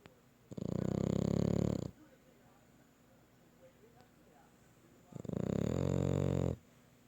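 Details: French Bulldog puppy asleep at night, snoring loudly enough to wake people: two long, rough, rattling breaths, each lasting over a second, separated by about three seconds of near silence.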